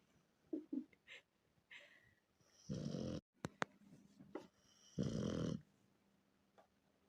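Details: Sleeping Rottweiler Miranochka snores twice indoors, harsh rasping breaths under a second long, with snuffles, clicks and light rustling between them.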